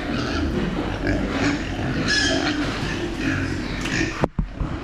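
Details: Farm-raised meat pigs; continuous rough grunting with raspy squeals from several animals, ending in a couple of sharp knocks and a brief drop in sound.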